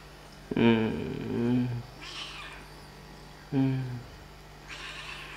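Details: Kittens at play and feeding time give two low, drawn-out meows about three seconds apart. Each lasts roughly a second and sags in pitch toward its end, with softer breathy noises between them over a steady background hum.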